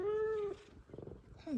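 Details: An F2 Savannah cat greets its owner home from work with a drawn-out, steady meow, then a short falling one, amid meowing and purring from two F2 Savannahs.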